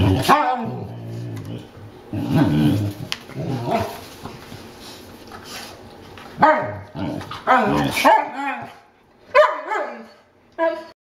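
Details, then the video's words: Newfoundland dogs at play, a mix of deep rumbling growls and throaty grumbles with short barks and yelps breaking out toward the end; a person's voice is heard briefly. "Lazy Newfies Play"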